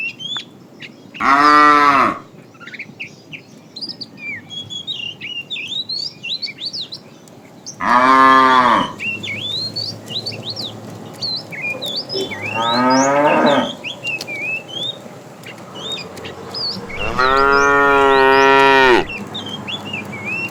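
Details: A herd of tame cows roaming along a road looking for food, mooing: four loud drawn-out harmonic moos spaced several seconds apart, each about one to two seconds long, with steady bird chirping in the background.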